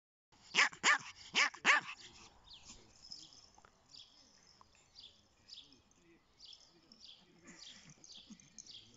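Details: Chihuahua-Pomeranian puppy giving four sharp, high yapping barks in quick succession at the start, followed by quieter rustling and faint scratchy sounds.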